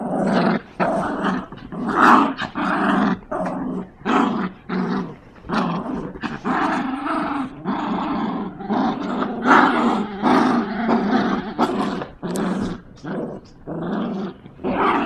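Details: Two Yorkshire Terriers growl while playing tug of war with a toy: dense, rough growls in rapid bursts, broken by short gaps, with music playing underneath.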